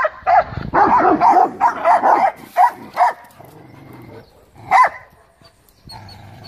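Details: Great Dane among dogs defending a yard from loose dogs at the gate: a rapid run of loud, rough barks for three seconds, then a lull and one more isolated bark, with low background rumble.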